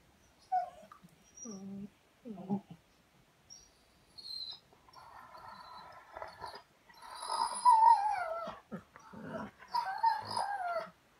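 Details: Raven, a German Shorthaired Pointer dog who always has something to say, talking back indoors: short whimpers, then longer wavering, howl-like moans rising and falling, with a person speaking briefly.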